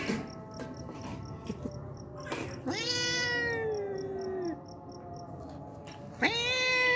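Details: A hungry stray cat that turns up every day for milk lets out one long, slowly falling meow, then starts another sharp rising one; a faint steady beeping pulses in the background.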